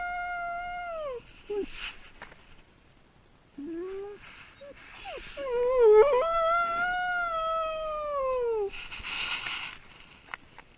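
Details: Dog alone after its owner departs, breaking into short dropping whimpers and yelps, then a long, arching howl that swells and slowly falls, with scattered clatter and rustling noises around it.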